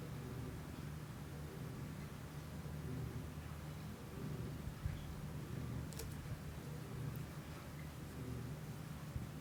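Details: Kiku-chan, a pet cat, purring at home, captured on a Shure MV88 microphone with an iPhone app: a steady, low rumbling drone with soft layered tones, quiet throughout, with a few faint clicks near the middle.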